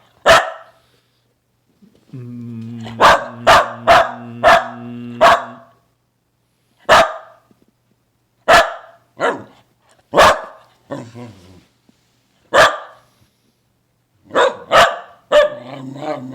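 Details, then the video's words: Pet dog making funny sounds: a long low groaning whine near two seconds, then sharp barks in bursts of four, spaced single barks, and a final cluster with a short growly whine, quiet gaps between. "makes funny sounds"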